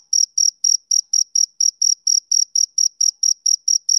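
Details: Male cricket on a summer evening giving quick, regular high-pitched chirps, close to four each second, crisp and uniform in loudness, with silence between pulses and no other sounds.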